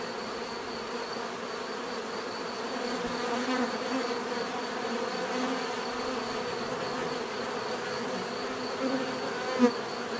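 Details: Many bees buzzing steadily in a dense continuous drone, with a low hum band and a faint high whine held throughout; a brief louder buzz passes near the end.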